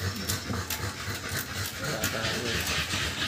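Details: Two-month-old American Bully puppies after their second 5-in-1 vaccine: quick, breathy panting bursts, roughly four a second and somewhat irregular, over a steady hiss.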